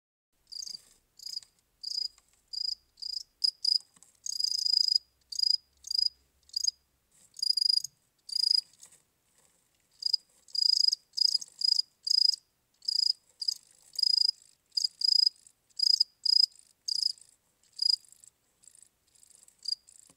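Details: Cricket. A cricket chirps steadily in high, shrill pulses, each chirp a quick burst repeated several times a second. Brief gaps break the rhythm now and then, and no other sounds intrude.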